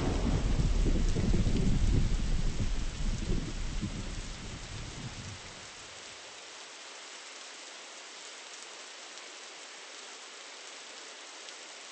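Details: Heavy rain with a deep thunder rumble for the first five seconds, fading into a steady, even hiss of rainfall with no animal voices.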